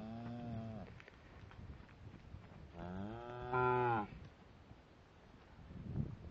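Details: ['Shorthorn cows and calves in a herd. A short, steady low moo comes first, then after a pause a longer moo that rises and grows louder. Scuffling background noise is heard between and after the calls.']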